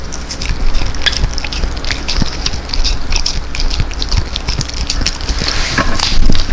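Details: Freeze-dried New Zealand food being munched by Tangja, a Welsh Corgi from Daegu, on a Chinese-made microphone: steady loud crunching and biting clicks packed closely throughout, right after a sit command.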